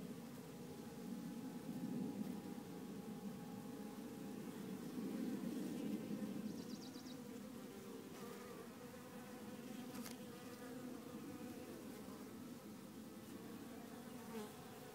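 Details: Honey bee swarm without its queen, droning inside a nucleus hive; loud, even buzzing with a low tonal band swelling around two and five seconds, then a softer steady hum with faint scratches.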